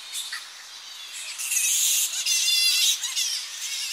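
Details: Tonga flying foxes returning to roost trees on the coast early in the morning; softer chatter swells into a loud two-second burst of piercing shrill, buzzy squealing from the colony, then eases back to scattered calls.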